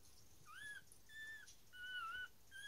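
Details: Newborn dachshund puppies, just being born, give thin, high whistled squeaks that bend up and down.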